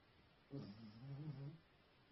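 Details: Pet dog snoring at home, one drawn-out low rumbling breath lasting about a second, a buzzy nasal drone with stacked low overtones that swells and fades, set against faint steady room noise.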